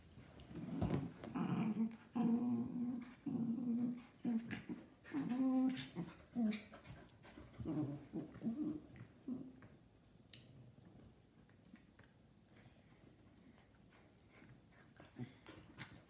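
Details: Playing together, mini schnauzer Gio and giant schnauzer Kylo give sustained low growls with some whining for about seven seconds, then fall mostly quiet apart from soft thumps and rustles.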